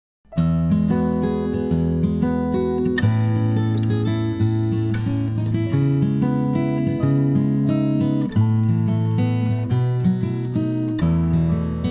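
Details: Strummed acoustic guitar music with chord changes every few seconds and a steady rhythm.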